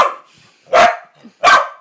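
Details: One of three cow dogs barks while doing tricks for shrimp cat treats indoors, two loud sharp barks about three quarters of a second apart after a fainter opening bark.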